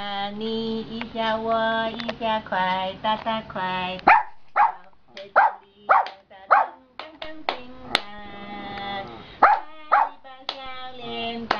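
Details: Afternoon singing from a relaxed giant panda, which rests now and then before bursting out loudly again: a sustained harmonic moan for four seconds, then a string of short, sharp chirping bleats in irregular bursts.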